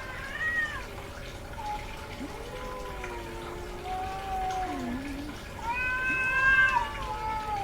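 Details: Female domestic cat in heat calling repeatedly, long wavering meows that slide up and down in pitch, some low drawn-out moans and a louder rising-falling yowl near the end; faint background hiss throughout.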